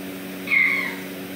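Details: Kitten meow from Reese or Heath, kittens at Big Cat Rescue: one short, clear, high-pitched mew under half a second long, level then slightly falling, over a steady low electrical hum.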